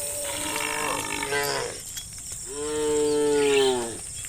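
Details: A herd of cows roaming countryside fields in the late afternoon low in long, harmonic moos, one after another, calling to the rest of the herd.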